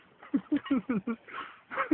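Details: Sheep eating potato chips gives a rapid, wavering bleat of about five pulses, falling slightly in pitch, followed by a rougher burst and the start of a person speaking.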